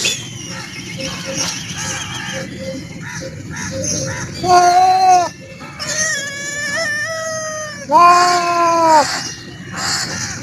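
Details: Close-up black cat with quieter murmurs early on, then two clear arched meows, the second louder and longer, set against constant low hum.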